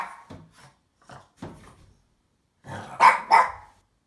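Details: Female French Bulldog indoors, wanting to fight a box in play. Soft snorty grunts at first, then two sharp, loud barks in quick succession near the end.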